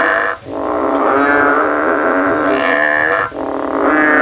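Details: A frog climbs a tree in search of a way out, giving an almost unbroken, buzzy, didgeridoo-like drone. The drone is broken by two brief dips in loudness, and the pitch stays steady.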